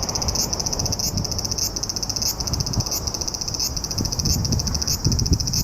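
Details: Cicada singing in Japan during July: a high, shrill buzzing trill that swells with a short rising accent about every 0.6 seconds, regular throughout, with faint low background rumble.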